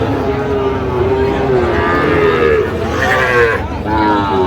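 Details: Sahiwal bull calf mooing at the Aftabganj cattle market on 16 August 2025. A long, steady, low moo lasting several seconds, slightly rising and then sagging at its end, followed by a short second call, amid background chatter.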